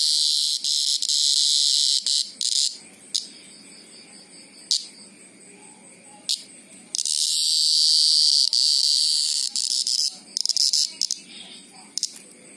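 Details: Greengrocer cicada screaming: a loud, shrill, high buzzing drone broken into short stuttering bursts, swelling into one sustained two-second blast midway, then more choppy bursts with sharp clicks in the quieter gaps.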